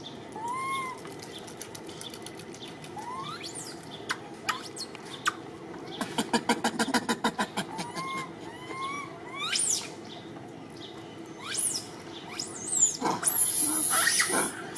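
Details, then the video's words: Little orphan monkey Martin sobbing and crying to call for Malida: thin rising whimpers with bright overtones, repeated every few seconds, with a burst of rapid clicking taps midway and rustling near the end. "Little Monkey Orphan Martin Sobbing To Call Malida"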